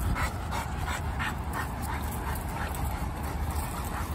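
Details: Dawn, a three-year-old female Rhodesian Ridgeback mix and former stray at a shelter, pants during a pack walk: quick, breathy bursts about three per second, steady throughout, over low rumbling outdoor noise.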